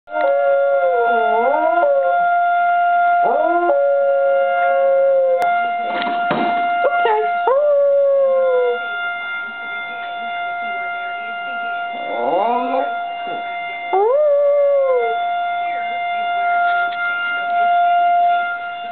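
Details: Small pet dog in Kansas howling along with a tornado siren at a nearby elementary school: wavering, rising-then-falling tonal howls in bouts, layered over the siren's loud steady tone.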